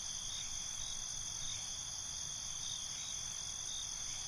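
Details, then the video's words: Night insects, crickets, keep up a constant shrill ringing across several high pitches, unbroken throughout, with a quiet low rumble underneath. "Night ambience, Cricket Conversations"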